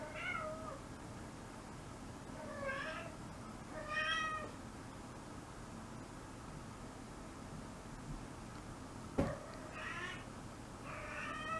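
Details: Nene, a kitten in her first heat at five months, crying at night before her spay surgery: a series of six rising-falling, slightly strained meows spaced irregularly, with a sharp knock midway and quiet indoor background.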